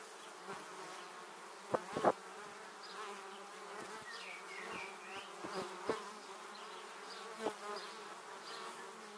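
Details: Honey bees streaming past a 360-degree camera toward their hive: a constant multi-toned buzzing hum, with repeated sudden louder buzzes of bees passing very close, clustered near two seconds.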